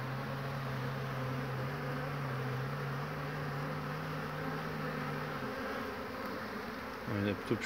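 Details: Honey bees at the hive on 22 March 2019, bringing in pollen on a fine day: one bee holds a steady low-pitched hum for about five seconds over the general drone, then another buzzes past loudly near the end.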